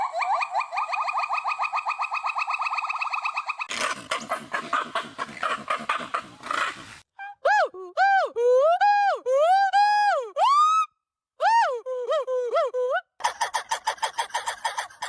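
Several monkeys call in turn: fast nasal chatter, harsh raspy bursts, then high whistled swooping notes.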